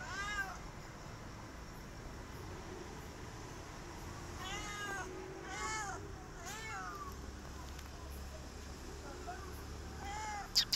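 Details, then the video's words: Stray cat asking for food, heard as a string of short, fairly quiet meows, some clustered together midway, over a steady outdoor noise background. "Stray Cat Hissing At Me But Asking For Food"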